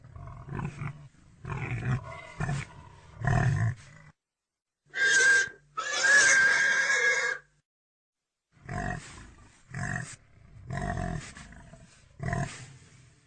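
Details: Domestic pig giving bursts of low, rough grunts in short clusters, then two drawn-out, high, shrill squeals in the middle, then more deep grunting pulses to the end.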